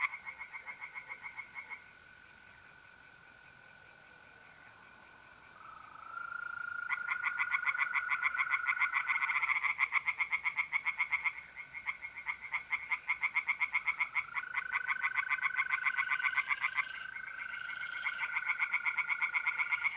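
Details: Tree frogs singing by night in a pond in mid-April, north-east Italy: fast, rapid-fire pulsed croaks about four per second in long bursts, over a steady high trill of mole crickets.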